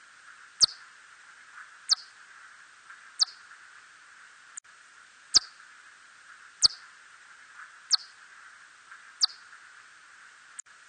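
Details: Hodgson's bat (red bat) recorded in 2020, giving brief, sharp, high clicking pulses repeated a little more than once a second.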